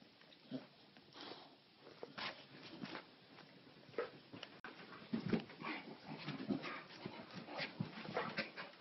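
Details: Two dogs at play, a little white male Maltese and a female Bulldog, nonstop together as he bites, chews and jumps over her; scattered short whimpers, snuffles and scuffling bursts, growing busier in the second half.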